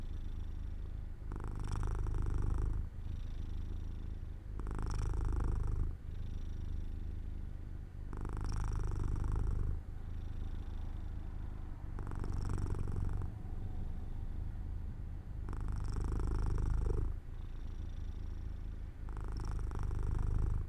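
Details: Sleepy pet cat Jojo purring near an open window in the sun; a continuous low rumble pulsing regularly, louder rough phases recurring about every three seconds, seven in all, with gentler breathing-like lulls between.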